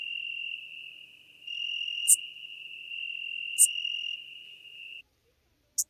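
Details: A Schmidt's marbled bush-cricket in Venezia, Italy, on 2 September 2021 gives short shrill chirps about one and a half seconds apart. A steady high drone stops abruptly near the end, leaving one last chirp alone.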